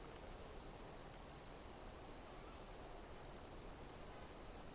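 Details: Insects chirping in nature produce a dense, steady, high shrill texture with soft rhythmic surges, set against low rumbling background noise.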